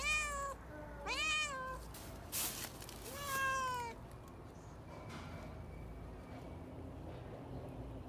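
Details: Domestic cat in a fighting-sound compilation: three or four sharp meows rising then falling, bunched in the first four seconds, with clicks and noise bursts, then quiet background hiss.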